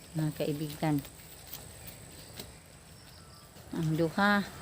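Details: Goats being fed their evening meal bleat in short, wavering bursts: three quick calls open the recording. After a quiet stretch of outdoor hiss, two more calls close it.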